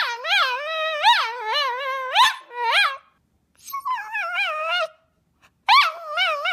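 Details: Milo, a tricolour male Cavalier King Charles Spaniel born 20.04.2012, keeps up a chatty stream of yodelling, warbling whines that rise and dip repeatedly, broken by two brief silent gaps.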